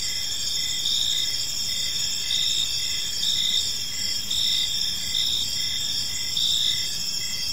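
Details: Gentle chirping of crickets in a serene park at evening, a sustained shrill insect chorus with rhythmic pulsed notes repeating at short intervals and faint low background noise.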